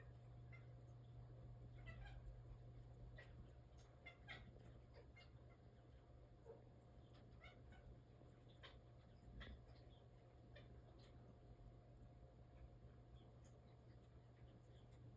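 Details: A cat reacting to birds makes quick, soft chirps and chattering notes, repeated irregularly several times a second, over a steady low hum.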